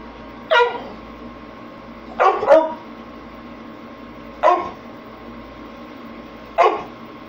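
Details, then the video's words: Pit Bull barking at the camera: four sharp, short barks spaced about two seconds apart, the second a quick double bark, over a steady low hum in a small indoor room. "Pitbull barking at the camera"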